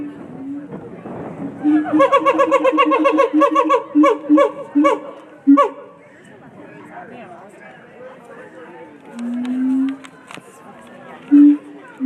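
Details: Zoo howler monkeys at the Omaha Zoo call in a rapid series of pulsed, barking roars for several seconds, then fall quiet while visitors talk and laugh nearby.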